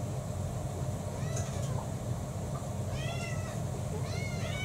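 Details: Domestic cats at home, one of six pet mixed-breed cats, around feeding time between breakfast and dinner in April 2024. A faint short meow is followed by two clear, rising-then-falling meows near the end over steady low hum.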